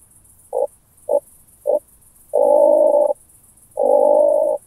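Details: Oak bush-cricket recorded at Starnberg, Germany, on 18 July 2023 through a Pettersson D 100 ultrasound detector: three brief evenly spaced ticks followed by two longer, dense buzzing bursts of under a second each, over a faint steady high hiss.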